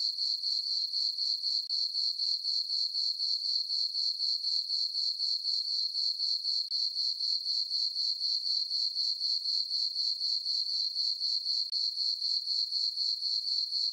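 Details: High, thin cricket chirps at night in a summer meadow on a farm under a full moon: a constant pulsing trill, about four beats per second, very even and uninterrupted.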